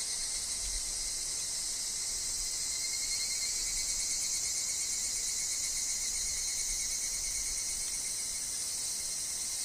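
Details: Higurashi, the evening cicada, calling in a forest alongside wind and falling leaves: an unbroken, bright, trilling insect chorus with a shimmering, pulsed texture over a steady lower whine.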